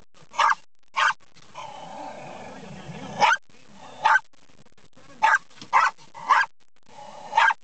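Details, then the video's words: Dog barking at windshield wipers: two barks, a long whining, growly stretch, then scattered sharp barks, some in quick pairs. "Dog love trucks... but windshield wipers are evil!"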